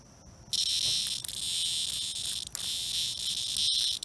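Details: Cicada in a life-and-death struggle with a European hornet that is stinging its soft underside, giving a loud, harsh, continuous high-pitched buzz that switches on abruptly and holds steady with brief dips.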